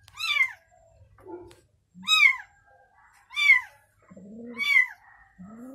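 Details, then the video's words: Newborn kitten and its mother cat: four sharp, high mews that peak and drop, about one per second. Quieter, lower mews from the mother fill the pauses. "Mother Cat Said To Newborn Kitten: You Can Rest Assured To Sleep, I Am Here And Protect You"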